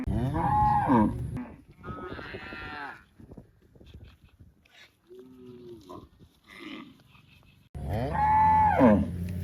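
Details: Cow mooing loudly: a strong rising-then-falling moo at the start, softer lowing calls in the middle, and another loud, drawn-out moo with a falling end near the close.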